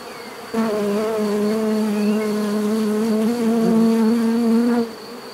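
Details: A single bee buzzes loudly and steadily at close range for about four seconds, a low droning hum with rich overtones that swells slightly before cutting off abruptly, over a faint background hum.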